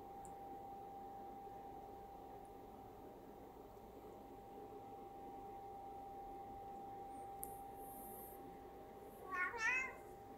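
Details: Scottish Fold Munchkin cat, indoors while eating, gives one short, quiet, wavering meow near the end, after a long stretch of near silence over a steady electrical hum.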